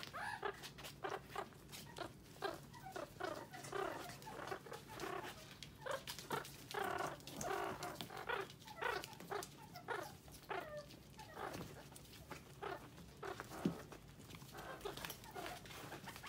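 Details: About one-month-old pet meerkats in Moscow, Russia, squabble over a bell pepper with rapid squeaky chatters, yelps and short growls, as one female refuses to share with her siblings.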